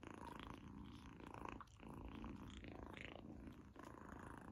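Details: Purring kitten Izzy enjoying a treat for the first time: a steady low rumble with chewing sounds, dipping briefly quieter twice before resuming.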